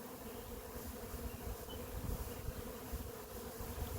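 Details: Honey bee swarm leaving a hive at an apiary, bees flying through the air before landing on a branch; a dense, continuous droning hum of many insects with steady low rumble and wind.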